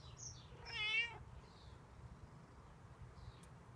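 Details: Outdoor stray cat begging for milk or food gives a single short, bright meow, followed by quiet background hiss and a few faint high chirps.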